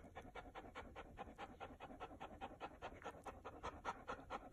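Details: Fluffy Chow Chow on a very hot day, steady rhythmic panting, about four short breathy puffs per second in even succession, soft and close, no other sounds.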